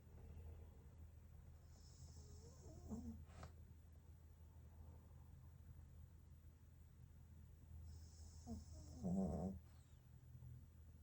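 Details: Sleeping Pekingese, a rescue dog, breathing and snoring softly: low, rumbling breaths with two louder snorting exhalations near three and nine seconds over a steady low hum.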